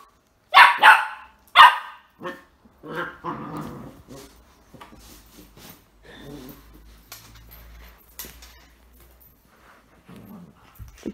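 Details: Whippet puppy, nine weeks old when acquired, in a home with two older terrier-chihuahua cross dogs; two loud sharp barks open, followed by softer grumbling vocal sounds and a person talking quietly in the background.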